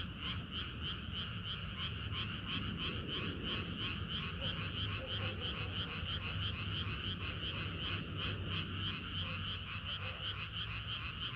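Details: Frogs chorusing on a hot summer night: a dense, continuous wall of rapid pulsed croaks, several pulses a second, layered in a high and a mid band, over a steady low rumble.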